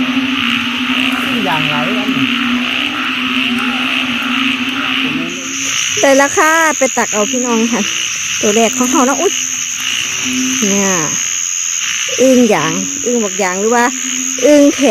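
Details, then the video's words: Dense frog chorus: a constant low droning tone with overlapping bent, twangy croaks, bursts growing busier after the first few seconds, and a high steady insect whine running above. "อึ่งเผ่า อึ่งยาง"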